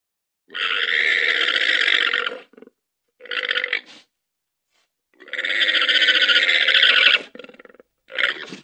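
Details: Domesticated llama producing long harsh raspy gurgles, two extended noisy bursts of about two seconds each with shorter sputtering fragments between, rough and buzzy throughout, against silence.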